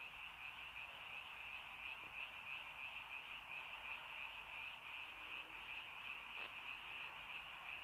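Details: Many frogs chorusing at early night in rainy countryside, their fast pulsing croaks merging into an unbroken high buzzing wall of sound with slight rhythmic swells.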